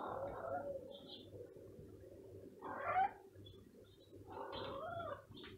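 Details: Stray cat that may be hungry meowing in short bursts, some rising then falling, with quiet gaps between calls and a soft low hum behind.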